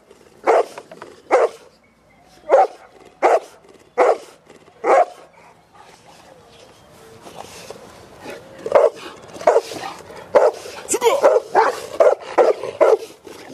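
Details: Cane Corso bred in a family environment, first barking in single loud woofs spaced about a second apart, then after a quieter stretch breaking into faster, overlapping barks with rustling in the background.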